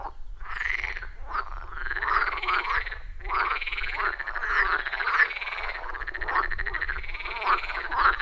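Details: Loud rhythmic frog chorus from a wild forest pond, iPhone 14 Pro and Shure MV88+; continuous layered croaking with curved pulsing notes and a faint low rumble underneath.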